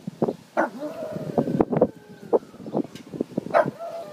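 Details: A pug howls in wavering, drawn-out tones broken by short yips and whimpers, recorded in May 2013.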